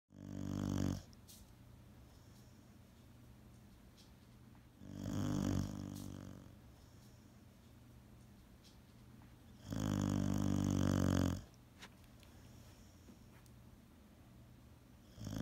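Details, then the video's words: A sleeping Boxer dog snoring indoors: three loud, deep, rasping snores about every five seconds, each lasting one to two seconds, with quiet breathing between. "Do Boxers Snore?"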